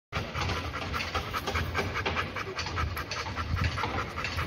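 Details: Labrador Retriever panting steadily, a continuous breathy rasp of rapid in-and-out breaths with no pauses, some low rumble underneath.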